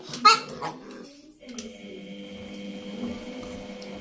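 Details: An almost one-year-old male French Bulldog, reacting to a washing machine, gives a brief burst of high, yelping whines before a steady mechanical hum takes over.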